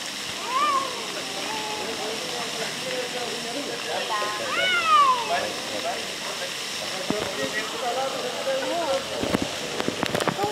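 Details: Two cats arguing near Antalya, Turkey: drawn-out, wavering yowls rise and fall, with one sharp rising-then-falling whine midway, over a steady hiss and a few clicks and knocks toward the end.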